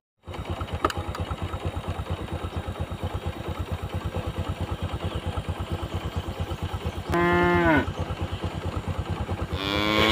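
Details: Tame cows grazing with calves; a steady pulsing motor-like rumble dominates, broken by one clear, bright moo lasting under a second and another beginning at the end.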